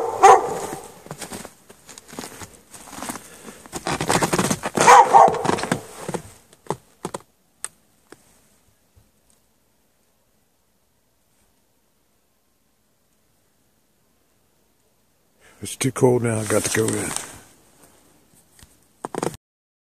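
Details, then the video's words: Chained dog left out in snow at night without shelter, 3 March 2014: ragged barking and whimpering for about six seconds, a long stretch of silence, then a drawn-out whining cry and one last short bark. "Dog barking chained out in the snow"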